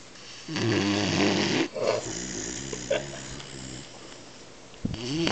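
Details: A sleeping 12-week-old male Weimaraner puppy snores with deep, rattling breaths and a few soft snuffles.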